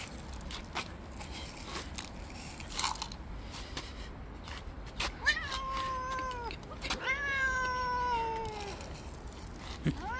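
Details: Street-living tabby cat, jealous, attacking other cats that come near and shoving them away. Quiet scuffling, then two long, harmonic-rich meows in quick succession, the second bending slowly downward, with faint background hum.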